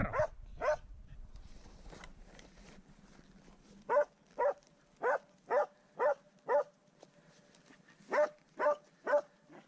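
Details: Swix, a dog, baying at his first wild boar: sharp barks come in quick bunches, several close together, then a pause and another burst, over a faint earlier bark and soft background hiss.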